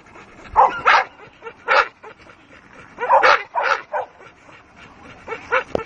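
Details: Attacking Dogue de Bordeaux letting out harsh, forceful barks in uneven bursts, several grouped close together mid-recording, with softer grumbling noises and a sharp knock near the end.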